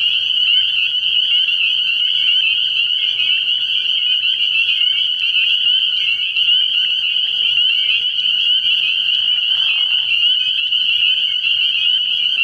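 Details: Many spring peepers calling at night in early spring from a frog pond: a dense, unbroken wall of shrill high peeps. A faint low hum runs beneath, and a brief lower call appears near the tenth second.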